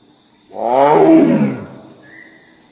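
A Bengal tiger gives a single deep, harmonic roar that swells and fades within a second.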